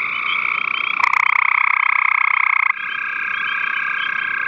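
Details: Gray tree frog calling on 5/7/13, one loud pulsed trill rising out of a softer background chorus and lasting about two seconds before dropping back to distant trilling.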